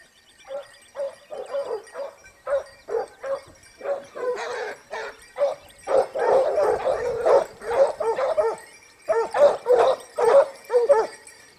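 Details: Hunting pack of Topsfield Lebrera Basset Hounds, Spain, 2015-16 season, second year hunting: spaced single bays build into a loud, dense chorus of many overlapping hound voices, then thin again to separate repeated bays.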